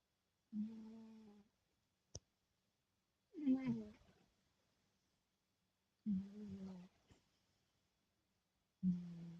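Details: Timofey, a sleeping cat, snoring: four separate nasal, humming snore breaths each under a second long, spaced about three seconds apart, with a single sharp click between the first two in a quiet room.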